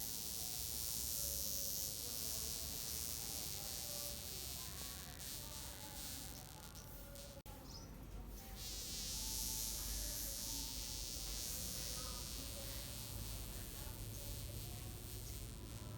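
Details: A burned wasp with droopy wings that cannot fly gives a steady, rough buzz with faint wavering hum tones and a brief dip midway.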